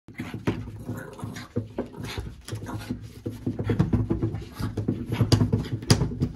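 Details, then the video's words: A playful French Bulldog indoors, trying to catch fingers: low snuffling grunts and rough panting bursts come in quick, uneven pulses throughout, with a few sharper snorts near the end. "French Bulldog very playful"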